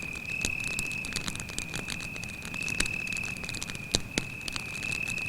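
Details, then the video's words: Night cricket in the woods by a campfire, producing one sustained shrill tone without pause, accompanied by dense crackling and a few louder pops from the fire. "звуки сверчка"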